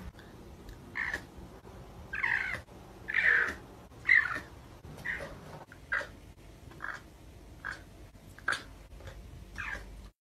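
A lynx gives a string of short, nasal, cat-like meows, some rising then falling in pitch.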